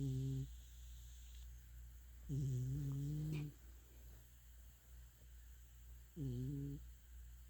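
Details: Domestic cat asleep and dreaming, snoring softly: three low, buzzy, harmonic snore bursts come roughly every three to four seconds, the middle one longest, over a steady low hum.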